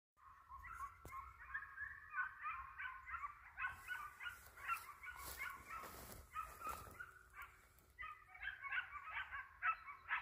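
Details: Hunting hound giving tongue while chasing a hare with a white head: quick, yelping barks repeated in long uneven runs, several per second, with a brief rustling noise midway.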